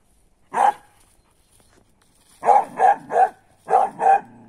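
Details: Young female griffon, ten months old, barking during a wild boar hunt after following a blood trail to a sow; one bark, a gap, then two tight bursts of three and two loud barks.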